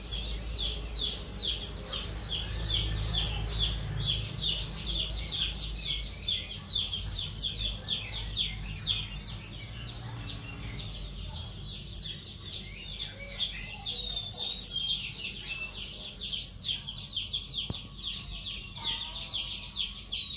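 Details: Cricket chirping for use as a training sound for songbirds: sharp, high, metallic pulses repeated about four times per second in a steady, even rhythm, with lower twittering bird-like notes running underneath.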